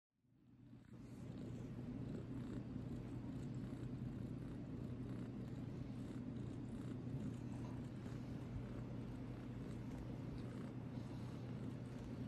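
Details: Idgy, a tiny runt cat, purring steadily while pawing: a continuous low rumbling throb that fades in over the first second, then holds even and unbroken to the end.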